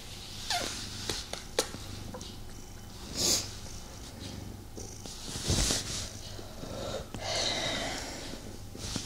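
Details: Male house cat purring as it snuggles with its owner but cannot fully settle down: a low continuous rumbling purr under repeated rustling and fur-brushing noises and a few soft clicks.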